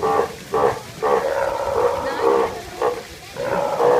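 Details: Steller sea lion calling: a series of short, harsh, honking calls with a steady tonal core, repeated about every half second, some calls slightly longer and drawn out.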